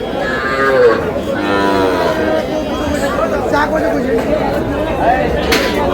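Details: Comilla farmer's Sahiwal bull calf, 3 June: two low, harmonic moos in the first seconds, followed by ongoing crowd chatter and speech with a few sharp knocks.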